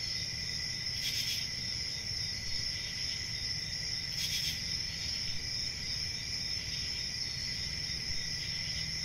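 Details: Crickets keep up an even, high-pitched continuous chirring, layered voices forming a dense chorus, interrupted by two short broadband rustles over a soft low hum.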